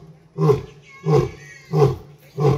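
A lion gives a series of deep, hoarse grunting roars, one roughly every two-thirds of a second.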